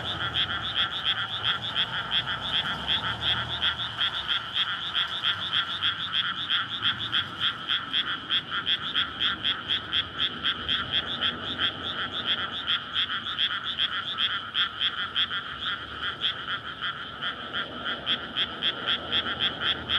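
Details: Night chorus of frogs courting in a water-filled rice paddy in May before rice planting, beside a residential area, recorded on a SONY PCM-D100; steady, fast trains of rasping croaks, several per second, with faint low traffic rumble.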